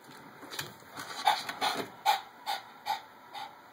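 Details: Jake, a small pet dog, confused and curious on meeting a new robo hamster for the first time: short soft whimpering or sniffing bursts, repeated roughly every half second, over faint background hiss.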